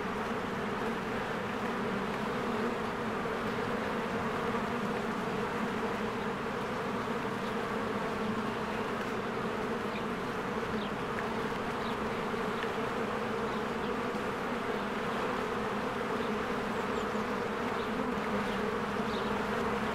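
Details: Swarms of honeybees working at their hive in spring, a thick continuous buzz of countless wingbeats holding steady, with scattered faint high bird notes in the background.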